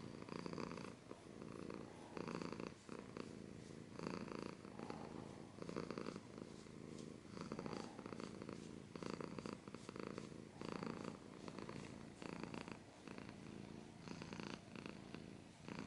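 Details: Domestic cat purring steadily up close, a deep vibrating rumble rising and falling in regular breath cycles roughly once a second, with occasional soft rustling.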